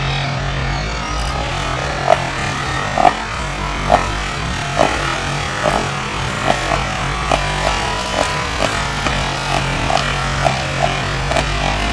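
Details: A steady low rumble like a running engine, with broad hiss and a faint irregular ticking; no animal calls come through.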